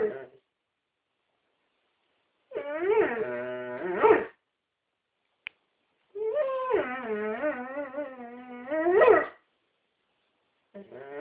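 A Dobermann 'sings' in two long, wavering, moaning howls that rise and fall in pitch.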